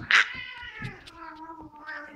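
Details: Domestic cat named Tinker attacking another cat, Sunshine, in a cat fight; a loud harsh yowl opens, then a long wavering, slowly falling moan with stacked harmonics, a man's voice heard nearby.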